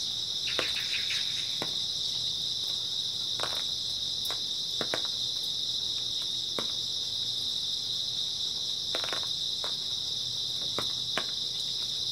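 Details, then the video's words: Grass insects on an early autumn night keep up a dense, high, steady trill; quick crackling clicks, some in small clusters, pop irregularly over the chorus. "초가을 밤부터 새벽까지 백색소음 풀벌레 소리"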